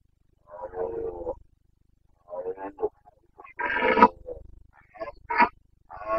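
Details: Red deer stag of the Carpathians roaring in the rut, Bucovina, late September 2022: raspy, broken bellows of varying length, one strong rising roar near the middle and shorter coughing grunts trailing after it.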